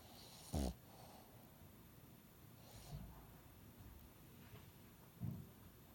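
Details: Snoring dog whose nose stays congested after an illness; two brief, low, rasping snorts several seconds apart, with faint breathing between them and a quiet background.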